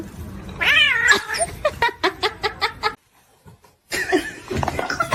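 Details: Pet cat in a humorous clip reel letting out a single arched meow that rises and falls, followed by a string of quick choppy bursts, a short silence, and then noisy background chatter.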